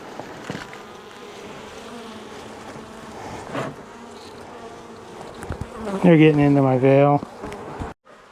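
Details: Angry honey bee colony, long established in the wall of a house, stirred up after dark on the first day of a rescue cutout; a steady low hum runs throughout, swelling into a loud, wavering close buzz near the end before stopping abruptly.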